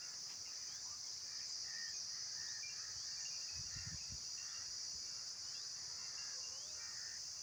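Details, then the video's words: Insects calling outdoors: a steady, unbroken high-pitched shrill drone runs throughout, with faint scattered chirps and short whistled notes from birds beneath it, and a brief low rumble near the middle. "Insects Making Sounds"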